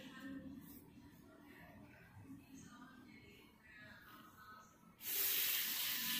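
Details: A little kitten, shunned by its feline friends, lets out a sudden harsh, breathy hiss that bursts in near the end and holds for about a second, over soft background music.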